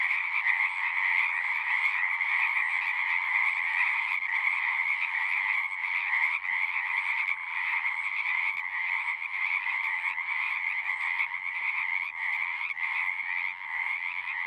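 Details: Frogs singing in a continuous dense chorus, a bright band of overlapping trilled croaks holding steady with no pauses, a lower layer beneath, no other sounds.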